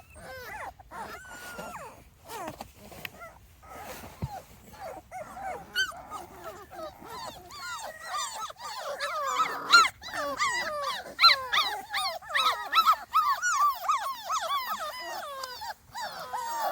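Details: Several 2.5-week-old Small Munsterlander puppies on their first outing outdoors, visited by an earlier litter, whine and squeal in overlapping bursts; calling builds after ten seconds into loud, arched squeaks repeated rapidly.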